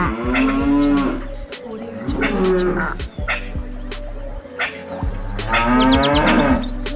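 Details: Farm cow giving repeated deep moos, three separate bellowing calls each lasting about a second, with a swelling then fading tone, set against continuous background music with rhythmic beats.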